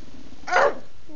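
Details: Bulldog Betty, a female, insists on her mealtime dinner indoors; a single abrupt bark, followed at once by a woman's voice speaking.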